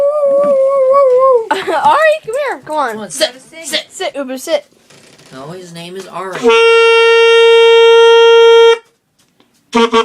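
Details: Pet dog howling along indoors as its owner plays a horn-like wind instrument: a wavering, drawn-out howl opens, then voices and cheering mix with yelps, followed by a long steady instrument note.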